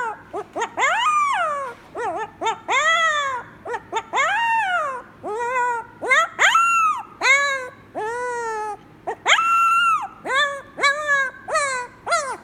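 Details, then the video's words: First howling of Koda, a Pomsky puppy just 3 weeks old: a steady string of high, whining howls and yelps, each sliding up then down, some long and quavering, repeated with short pauses, no other sounds. "Pomsky very first howl, adorable."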